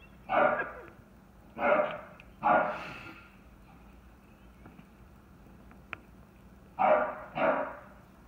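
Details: Chocolate tri merle English Bulldog barking frantically at a bucket it and other dogs knocked over, a pet indoors; five loud, gruff barks come in two clusters, three early and two near the end, with a quiet pause between.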